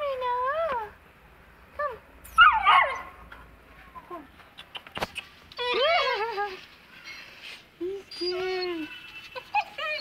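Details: Two-month-old Saint Bernard puppy, afraid of the stairs, makes wavering nasal whimpers and brief yelps in scattered bursts, with pauses between. A woman's voice offers to carry the heavy puppy.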